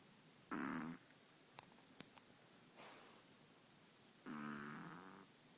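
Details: Long-haired Chihuahua, five months old, snoring: two rasping, buzzy snores about four seconds apart, with faint clicks and a soft breath between.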